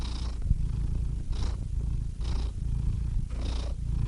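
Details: Domestic cat purring steadily, a deep continuous rumble with soft breathy swells roughly every second as the cat breathes in and out, no other sounds.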